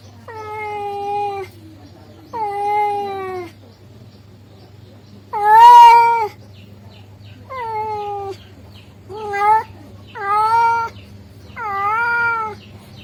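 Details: A male cat calls to a female with a series of seven drawn-out, harmonic meows of varying length, one loud rough cry in the middle, over a faint low hum.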